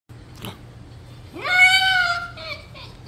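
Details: Pet red fox named TYR, indoors, playing with its owner and biting gently: a faint click, then a loud, sustained, harmonic whining scream that rises sharply, holds steady and then tapers, followed by softer trailing notes in a small room.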